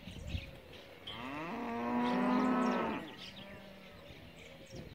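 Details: A single Angus calf, one of fifty around 200 kg listed for auction in Junín, lets out one steady, rich-toned moo lasting about a second and a half, with quiet background noise before and after.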